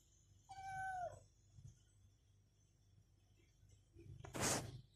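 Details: Egyptian stray cats, a mother and her young kitten, exploring an apartment after eating: one clear meow of about half a second, slightly falling at the end, followed by a sharp broadband clatter and quiet room noise.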